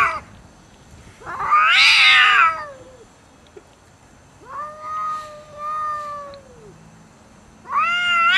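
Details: Domestic cats refusing to share food: an explosive harsh screech, a pause, then a long wavering low yowl, then another loud screech beginning.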